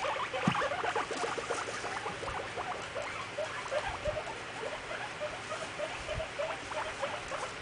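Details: Caged pet guinea pigs showing dominance over each other, a frequent behaviour; rapid, irregular purring and chattering pulses, about three per second, quiet and close.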